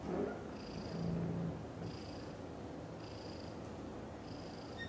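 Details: A British shorthair cat family at home: Cream, a kitten, with two mother cats, Chan and Xaxa. A continuous low, throaty purr fills the recording, with faint thin high tones recurring about once a second in the background.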